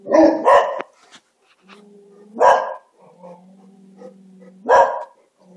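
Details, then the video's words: Quarrelling dogs: a quick double bark opens, then a long low growl, then single harsh barks about two seconds apart, each followed by more steady grumbling. "Dogs yelling at each other"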